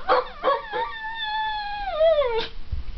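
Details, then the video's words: Female Chinese Shar-Pei doing her ambulance imitation, a habit since a tropical storm brought emergency vehicles nearby; three short yips lead into a sustained, gently falling howl lasting over a second, ending in a final yip. "Sheba the Shar Pei's Ambulance Imitation"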